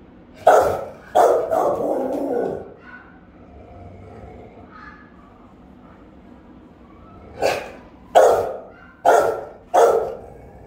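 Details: Rottweilers on guard at the house, filmed by camera; a quick burst of three barks trailing into a longer rough one, several seconds of silence, then four sharp, resonant barks in fast succession.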